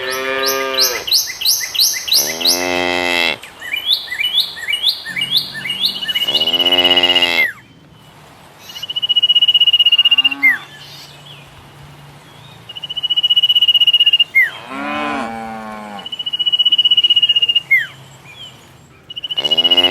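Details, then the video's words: Tame cattle herd bounding down a hillside in the mountains, giving a few long nasal moos, separated by stretches of quiet, while high whistled bird notes and thin chirping calls sound repeatedly in the background. "Suara lucu sapi moo"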